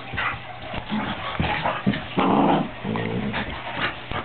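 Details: Pair of puppies aged 13 weeks playing, with low rumbling growls, brief whiny yips and a sustained snarling burst midway, irregular and close.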